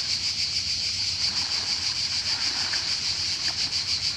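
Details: Croatian summer cicada, a shrill continuous whirring buzz with fast rhythmic swells, accompanied by soft water sounds and light splashing.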